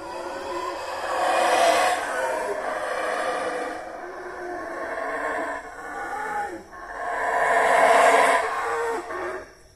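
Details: Loud roaring howls of howler monkeys (saraguatos) in Mexico. Two strong swelling bouts of hoarse, layered roaring, the second the loudest, are joined by a softer, steady roaring in between.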